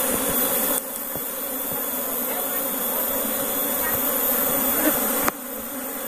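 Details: Asian honey bees (Apis cerana), recently moved from a distant area, re-entering their hive box in Indonesia; steady droning buzz throughout with brief level shifts.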